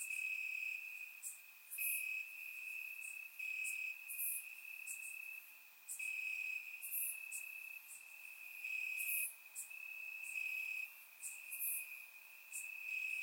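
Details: Night chorus of crickets in summer grass, Bulgaria, surround-microphone recording; a continuous high-pitched trill broken by short gaps, with quick bright chirps from other callers popping in roughly twice per second.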